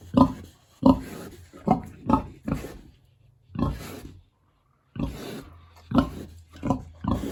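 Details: A big, hungry pig at its village pig house on a warm, sunny autumn day grunts in short, rough bursts, several to a second, with brief pauses between.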